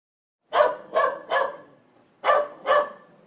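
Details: Pit bull or another dog barking: three loud, harsh barks in quick succession, a short pause, then two more, each bark sharp and clipped.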